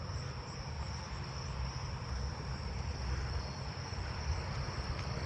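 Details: Jumping bush crickets, one quite close, sing a thin, steady high trill over a heavy low rumble, with southeastern field crickets also calling nearby; the jumping bush crickets have spread out more, recorded 8/11.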